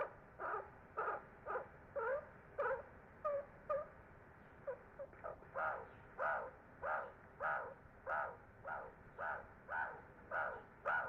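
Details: Wild and free meerkats of the Ungulungu group grooming and hugging each other at sunset; quiet, steady series of short raspy calls repeated nearly twice a second, some softer and clipped in the middle, over low background hiss.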